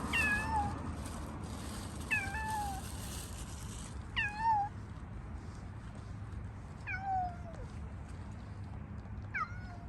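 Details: Squeaky shy stray cat on the street, hungry but holding back until the person feeding it moves away; five thin, high meows bending downward, spaced about two seconds apart, over steady low background hum.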